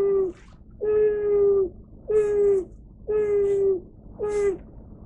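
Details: White-handed gibbon named Shiromatii, a captive animal at Kyoto City Zoo, recorded 11 March 2024 on a closed day. It stands before a touch monitor and calls, having learned that five calls earn an apple piece. Five steady, low, hooting 'fuu' notes, each slightly falling at its end, come about once a second over faint hum.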